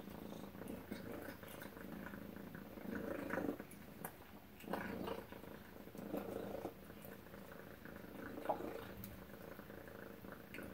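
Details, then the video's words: Tacy, a pet cat, purrs during breakfast in a small room; a continuous low rumbling purr that swells louder every one to two seconds with each breath, with faint clicks in the background. "Tacy Cat Purring Breakfast"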